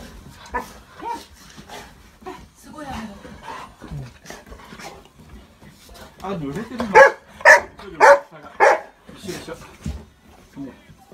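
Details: An overjoyed pet Golden Retriever welcomes family home after a few days' absence. Mostly quiet talk and soft whimpers at first, then a burst of four loud barks in quick succession near the end, with voices around.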